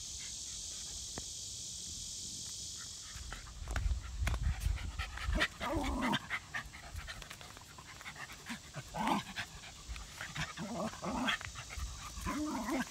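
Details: Rat terrier Zimbu at play with his sister Nalla, a happy pet dog. After a steady hiss at the start, rapid breathy huffs and bursts of panting come in irregular runs, with low thumps of movement and a brief human voice.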